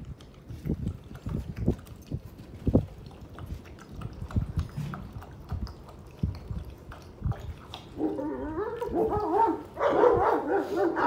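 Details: Golden Kangal puppies, grey and yellow coated, with soft low shuffling and thumps for several seconds, then a run of wavering, high-pitched whines near the end.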